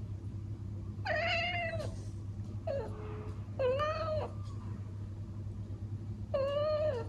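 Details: Elsa, a traditional Siamese cat living indoors in the Netherlands, sounds off at a bird she cannot reach through the window with four drawn-out, nasal, meow-like cries, each about a second long and spaced unevenly. A constant low hum runs underneath.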